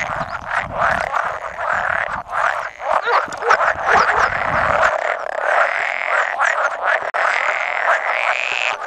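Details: About 100 male pool frogs calling together at egg-laying, 16 May 2017, with an edible frog croaking occasionally; thick unbroken mass of croaks and rattles, with low rumbling in the first five seconds.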